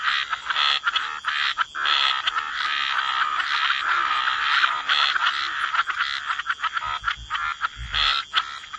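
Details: Frogs croaking together at a waterside wetland: packed, overlapping raspy croaks forming a busy chorus, some clearer bursts at the start and end, a couple of soft low thumps near the close.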